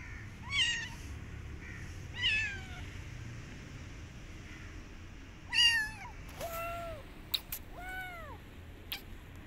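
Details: Rescued street kitten that wants to go back outside and will not eat, meowing in bright, arching cries, five calls spread over about nine seconds, some short and clipped, with low background hum and a few sharp clicks.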